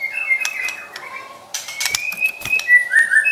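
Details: White-rumped shama, a caged pet, in song for provoking and training other birds: long steady whistled notes, one dropping lower, broken by faint clicks, then a rising clear phrase ending in bright upslurred whistles.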